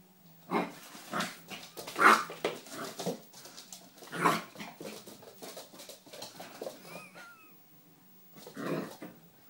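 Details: Three-month-old poodle puppy giving scattered short yelps and whimpers, a few louder bursts among quieter whines, with thin squeaky upward notes near the end and soft rustling between calls.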